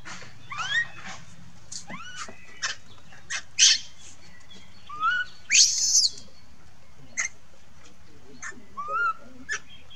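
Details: Monkey; distress cries; young monkey calling for its mother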